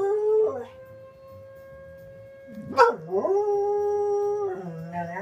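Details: Soft Coated Wheaten Terrier howls in response to the fire whistle. A wavering howl slides into a steady siren tone, then a swooping yelp rises into a long, sustained howl that ends in rough, broken notes.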